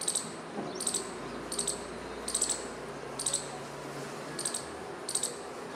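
A squirrel gives sharp, high, clicking chips, repeated roughly every two-thirds of a second.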